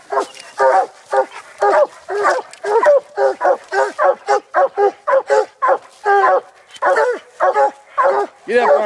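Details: Hunting dogs baying at a tree after treeing a raccoon during a night coon hunt; rapid, steady barks about twice a second, harmonic and mid-pitched, several dogs overlapping continuously.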